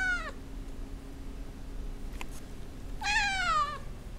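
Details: Russian Blue cat Tobes asking for his dinner indoors, two clear meows: a short falling one at the start, then a longer, louder, descending meow after a pause with a faint click, over low room hum.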